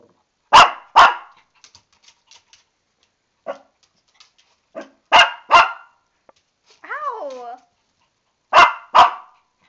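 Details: Lani the Shih Tzu, stuck in the tub and angry about a bath, barks in doubled bursts and single yaps, with a brief wavering, whine-like sound between barks.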